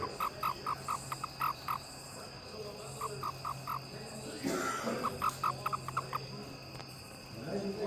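A toad gives short, mid-pitched pulsed chirps in quick runs, separated by brief pauses.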